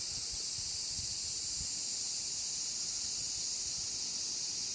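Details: Many cicadas sing together in a great chorus, a dense, high, sizzling drone that holds constant without pauses or rhythm, with only soft low knocks beneath.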